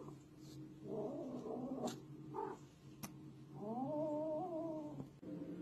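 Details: Cat letting out low, drawn-out, wavering yowls indoors: a rough moan around one to two seconds, a short bleat, then a longer sustained wail with a steady pitch, over a faint background hum.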